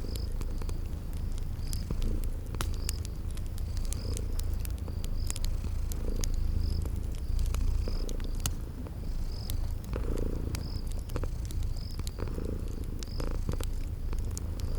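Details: Purring from sleeping kitties beside a crackling fireplace in spring garden ambience. A continuous deep purr swells gently in loudness, while fire pops snap irregularly and brief high insect-like chirps recur every second or so.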